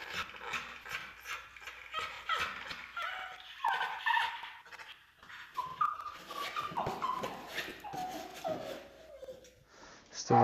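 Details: Anxious, fearful pit bull bully mix named Brandy on his first day in training, aroused and whining: repeated high, thin whimpers sliding downward, several per second at times, with footsteps and a handler's voice.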